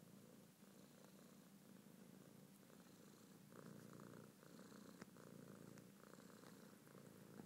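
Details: Domestic male cat purring steadily while in a trance on a blanket: a continuous low rumbling drone, with light rustling and a brief sharp tap midway.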